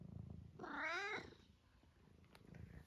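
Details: Senior tabby cat from Great Britain, nearly 12 years old and extremely vocal, entertaining himself indoors: one loud squeaky mew of about half a second, wavering then falling, with a woman's soft speech before and after.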